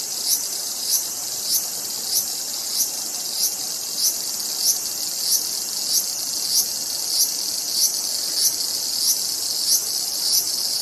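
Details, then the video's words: ['Cicada producing a high, sizzling buzz marked by evenly spaced louder pulses roughly every 0.6 seconds, a steady rhythmic drone lasting throughout with no other clear sounds.'] "som de cigarra"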